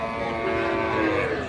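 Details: Deshal cattle, dairy cows sold with calves at Kaharol market, Dinajpur, Bangladesh, Qurbani season, 1 June 2024; one drawn-out low moo, slightly sagging in pitch, sounds amid voices of buyers and sellers bargaining.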